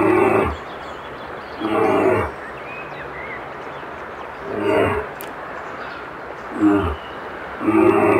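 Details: Brown bear howling: five harsh, rough roaring bursts of about half a second each, deep and rich in overtones, separated by uneven pauses of one to two seconds over steady background hiss.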